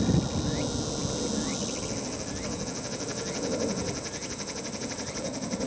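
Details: Tsukutsukuboshi cicada calling on a sunny 21 September 2022 at the summit of Mt. Ino, Umi, Fukuoka, Japan, in early autumn; it flew in unseen and called loudly. High, fast-pulsed buzzing starts partway through and runs steadily to the end over low outdoor rumble.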